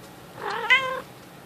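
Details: Indoor house cat meowing among napping kittens and an old cat in a bunk bed: a single clear, tonal meow lasting about half a second, rising then holding steady, with faint room hiss behind.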